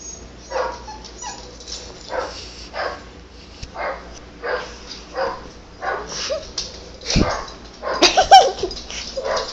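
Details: Dog reacting to barking noises played on an iPad: short, rough barks and yips repeated roughly every half second, with a denser, louder burst of barking near the end.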